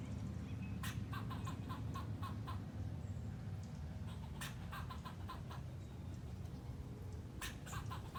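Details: A squirrel flipping its tail gives bursts of sharp, clicking chucks in quick runs over a low rumbling background.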